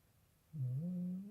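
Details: An American Bully fast asleep indoors gives one loud, low, droning snore lasting under a second. It starts abruptly after near silence and holds a steady rumbling pitch.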